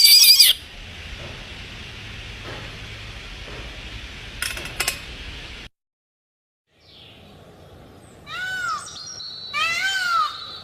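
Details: Domestic cat in an animal-sound collection: after hissing noise and a brief silent gap, two drawn-out arched meows rise and fall near the end, each with clear stacked overtones.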